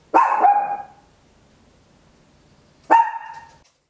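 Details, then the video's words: Indoor home recording of a tiny Papillon barking very loud, made with an Olympus LS-11 in stereo: a doubled bark, a pause of nearly three seconds, then another single ringing bark against a quiet background. "Tiny Dog Barking Very Loud, Papillon"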